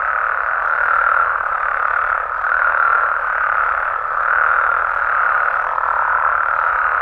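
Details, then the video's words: Night chorus of Mexican frogs and toads: a thick, continuous mass of croaks at mid pitch that swells and dips gently about every second or two, many animals calling together without pause. "Mexican Frogs & Toads Sounds"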